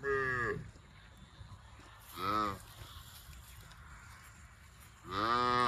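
A cow gives three short, rich moos, each rising then falling in pitch, spaced a couple of seconds apart.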